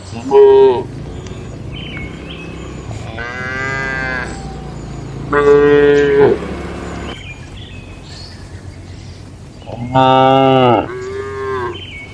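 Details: Cows in a traditional shed on a calm night: loud harmonic moos about every five seconds, each under a second long, with softer lowing from other cattle in between.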